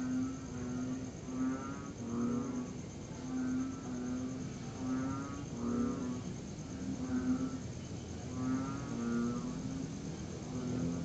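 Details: Tree frogs calling at night in September 2021 during a pause in a long, steady rain. Low, throaty pulsed notes repeat about once a second from several overlapping callers, over a steady high cricket hum.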